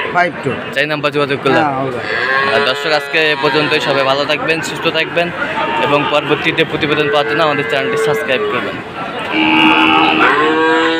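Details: Sahiwal bull calves at Ambari cattle market, bought by a farmer from Sylhet on 2 October; drawn-out lowing with steady tonal bellows, strongest near the start and the end, over loud, constant market chatter and voices.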